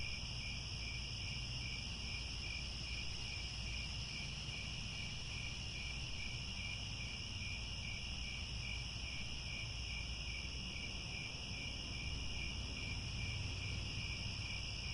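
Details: Crickets chirping at sunset on the grasslands of Angkor Wat, Cambodia; continuous shrill, even trilling from many insects in stacked pitches, a rapidly pulsed lower band, and a constant low-frequency rumble beneath.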